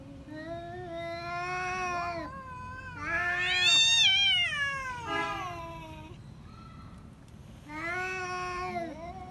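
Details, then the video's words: Domestic pet cats in a fight, loud, drawn-out harmonic caterwauls that swell and bend in pitch, one reaching a shrill peak near four seconds, then a final wavering howl. "Cat fight with real voice"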